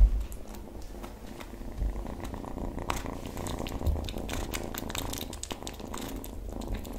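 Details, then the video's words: Kitten purring while eating, a steady low rumble running beneath sharp, crackling chewing and licking clicks that continue throughout. "Top 5 Kitten ASMR Eating Compilation"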